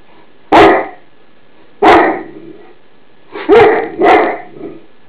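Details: Greater Swiss Mountain Dog alarm barking indoors at an iron left on the bed: four loud, sharp barks, two spaced single barks followed by a quicker back-to-back pair, with quiet gaps between.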